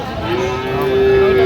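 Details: Sahiwal bull calves at a cattle market on 11 October 2025, one giving a loud, steady, drawn-out moo held at an even pitch for the full second and a half, with market chatter faintly behind.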